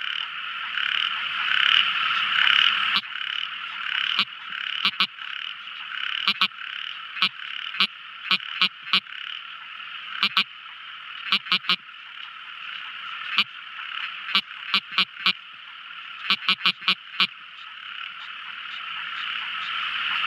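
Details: Night-time tiny frog producing many quick ticking clicks, singly and in tight groups, scattered through a steady high whining chorus that fills the background.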